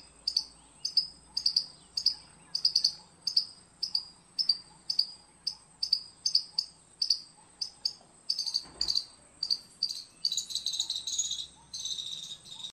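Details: Squirrel calling with a steady run of sharp, high-pitched chirps, about two every second, each clipped and bright. Toward the end the chirps crowd together into a denser, buzzier burst. No other clear sounds.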